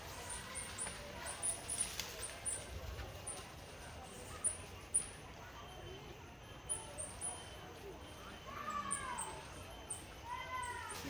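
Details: Coati cub calling its mother in the wild, giving high squeaky chirps that sweep up and down in short clustered bursts near the end, over a constant high insect hiss and faint background noise.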